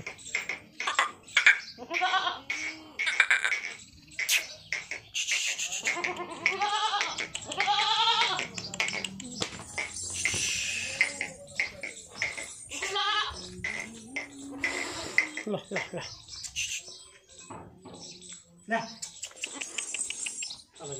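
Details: Jamunapari goats, a pure-bred herd, give many wavering, quavering bleats in overlapping bursts, some nasal and trembling, others short and sharp, with clatter and possible voices mixed throughout.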